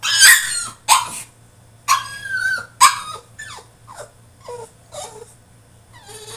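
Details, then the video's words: Caged French Bulldog in a tantrum: loud harsh yelps in quick bursts, some with wavering pitch, then a run of shorter falling whimpers that grow quieter, with a faint low hum behind. "FRENCH BULLDOG THROWS TANTRUM IN HIS CAGE!!"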